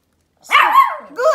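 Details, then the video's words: Pomeranian puppy barking for a treat on command during trick training at home: one drawn-out, slightly wavering yappy bark, then a shorter rising second bark; a man's praising voice nearby. "Pomeranian puppies are barking for treats"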